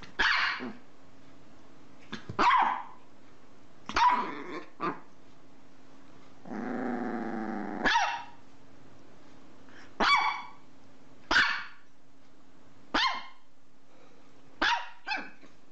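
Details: Dog from a funny barking compilation lets out a run of short sharp barks roughly every one to two seconds, with one longer harmonic growl-like howl in the middle and a faint steady hum.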